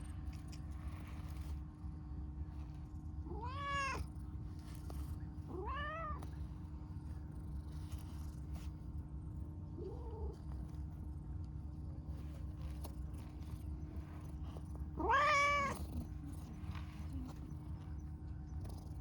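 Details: Sweet-natured, talkative dilute calico stray cat: two quick rising meows, a soft short mew near ten seconds, then a long loud wavering meow at fifteen seconds, separated by pauses over a steady background hum.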